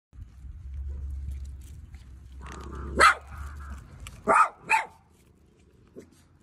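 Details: Dog barking at dinner time: a soft low hum, then three short, sharp barks in quick succession near the middle, the last two close together, followed by quiet.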